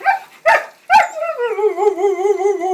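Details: Dog wooing while raring to go, stirred up by talk of keys: a few short yips, then a long, steady, wavering woo that rises and falls in pitch for nearly two seconds.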